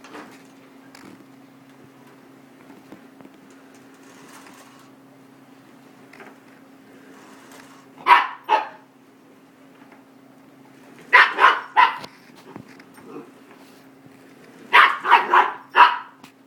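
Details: Snickers, a 5-month-old female miniature goldendoodle puppy, barking at a vacuum cleaner indoors. Three bursts of sharp barks, two to four at a time, separated by pauses of a few seconds, over the steady hum of the vacuum motor.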